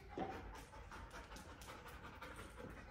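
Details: Ruby, a two-year-old Labrador mix dog, during obedience training in Atlanta, Georgia, pants softly in quick, even breaths about twice a second, with quiet room noise behind.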